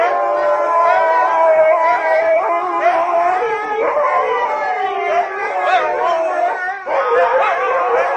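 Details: A pack of huskies howling together as people sing nearby: many overlapping, wavering, drawn-out tones that rise and fall continuously over eight seconds, with voices weaving across each other and a brief dip near the end.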